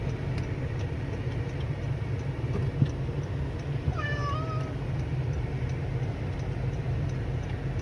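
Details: Cat meowing outdoors by a road: one short harmonic meow near the middle, falling then level, over a heavy low rumble of steady traffic and faint regular ticking.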